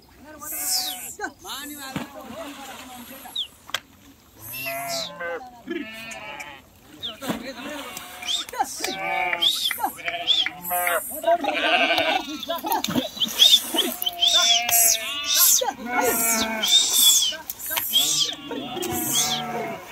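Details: Flock of sheep crossing a river, swimming and jumping into the water: many overlapping wavering bleats rise and fall across the whole stretch, some high and strained, mixed with splashing and human voices.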